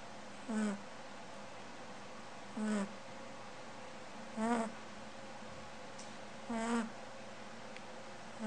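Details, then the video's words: Snoring female rabbit in deep sleep: four low, nasal, humming snores, each sliding slightly, repeating about every two seconds over a steady faint indoor hum. "Snoring Bunny"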